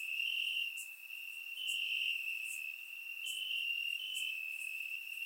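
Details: Warm summer night in Bulgaria, crickets singing in the grass; a constant high-pitched ringing drone with slight step changes in pitch, plus scattered short higher clicks about once a second, captured by a surround microphone.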